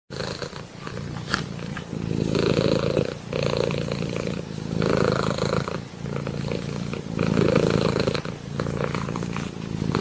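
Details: Domestic cat purring steadily indoors, a low rumbling vibration swelling and fading with each breath roughly every one to two seconds, continuous throughout.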